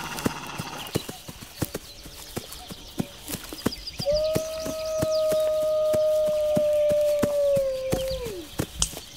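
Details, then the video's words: Wolf howling: after four seconds of quiet a single long, steady, smooth tone holds level for about four seconds, then slides downward at the end, over a background of regular sharp clicking taps. "Wolves Howling"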